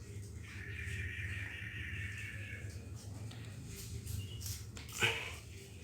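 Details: Three-day-old kittens, one still with its umbilical cord attached, give a thin, high, drawn-out mew lasting about two seconds, steady in pitch, over a low background hum, followed by a sharp click near the end.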